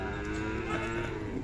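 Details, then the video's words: Khillari cow at a cattle market in Sangola, 5 May 2024, giving a flat, sustained low moo throughout, with voices and market bustle underneath. "सागोला खिलार गाय बाजार"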